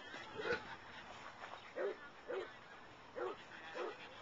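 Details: Boston Terrier/Pug mix named Wonka at play in a dog park, giving a handful of separate barks spaced irregularly, about one each second, over a low background murmur.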